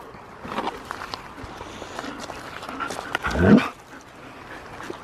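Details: Dogs play with a new toy, a ball made for horses or big dogs. A single short, gruff bark sounds partway through, over faint rustling and handling noise.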